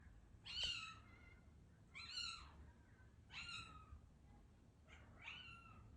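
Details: British Longhair cat seeking attention, giving four clear, bright meows spaced about one to one and a half seconds apart. Each meow rises and then falls, and the first is the loudest. A low hum sits underneath.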